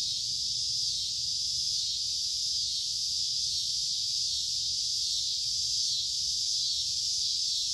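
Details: Cicadas calling in summer: an intense, sizzling high buzz with gentle pulsing waves in loudness, running nonstop over quiet low-frequency noise.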